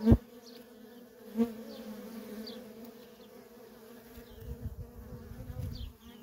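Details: Steady low drone of honey bee workers streaming in and out of a feral colony, broken by two sharp thumps near the start and a rumbling patch toward the end.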